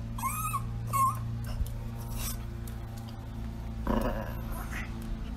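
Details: A Yorkshire Terrier waiting for someone at the door gives short, high, nasal whines, then a single muffled bark over a low hum.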